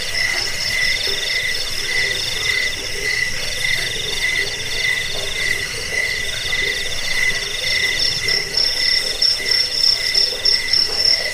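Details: Insect chorus of jangkik crickets for repelling rats and bird tutoring: layered continuous trills at different pitches run throughout, one high buzzing voice pulsing in uneven bursts, joined near the end by a sharper, rapidly repeating chirp.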